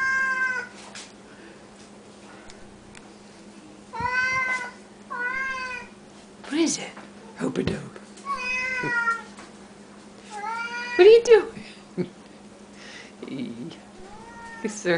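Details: Loud Siamese cats meowing at feeding time on the counters: a quick run of about eight rich, wavering meows, some overlapping, mixed with a person chatting to them, short clatters and a constant low indoor hum.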